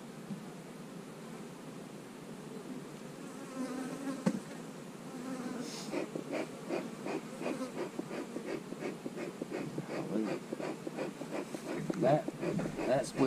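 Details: Honey bees buzzing during hive splitting, with queen cells in the splits: a steady, dense hum builds into a loud, rippling drone broken by rapid pulses, while a person speaks briefly at the start.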